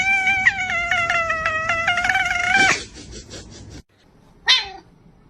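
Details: Pet cat giving one of its odd sounds: a long, steady, strongly tonal meow held for almost three seconds with a slight tremor, breaking off abruptly, then a short sharp falling meow a second later.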